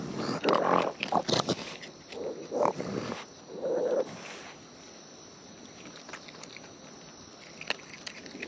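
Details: Wild raccoons eating close up, with natural chewing sounds: irregular bursts of wet munching and snuffling crowd the first four seconds, then fade to a quiet background with only a few sparse clicks.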